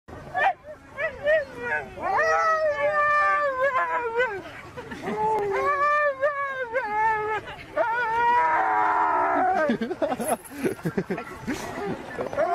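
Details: Siberian Husky making a talking vocalization: drawn-out, wavering howl-like moans with strong harmonic bands, rising and falling in pitch across several long phrases, ending in a rougher, noisier burst of sound.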